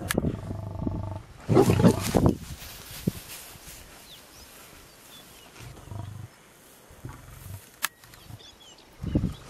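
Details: Wild lions in South Africa killing a pregnant warthog: deep, rumbling growls in short bursts, the loudest near the start and middle, with quieter low grunts later, separated by near-silence and a sharp click.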